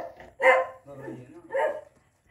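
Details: Labrador Retriever puppies offered for sale in Delhi, India: two loud, short barks about a second apart, with quieter muffled sounds between them.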